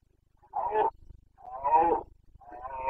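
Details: Boncănit of a Carpathian red deer stag in Bucovina's mountain forests during the autumn rut, 29 September 2022: three harsh, throaty roars in quick succession, separated by brief pauses, the middle one the longest.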